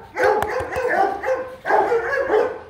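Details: Rottweiler Kute Gervi, a 15-month-old dog sired by the young champion Bruno tí hon out of Cynia Gervi, gives two long, harmonic, rough barking bursts separated by a short pause, with faint clicks and people talking nearby.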